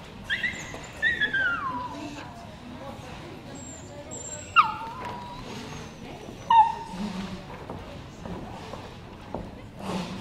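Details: Cairn Terrier SweetBeauty, named best male at the DTK show in Haarlev on 18 September 2010, gives a long high whine sliding downward early on, then brief sharp whimpers near four and six seconds, over background talk.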